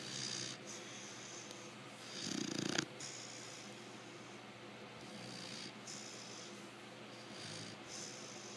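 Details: Lecka, a five-month-old female American Bulldog, snores while napping: soft, rough breaths repeat irregularly under faint room hiss, with one louder, deeper snort midway through.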